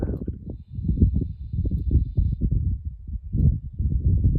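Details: Loud snoring from a sleeping sow on a family farm: deep, grunting rasps repeated in quick rhythmic bursts, about two or three per second, with brief pauses between runs of breaths.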